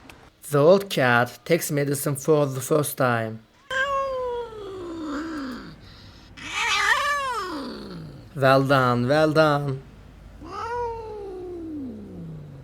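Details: Abandoned kitten rescued after two days freezing in snow at -11°C, giving several drawn-out meows that rise then slide down in pitch, spaced a few seconds apart, with a person talking in between.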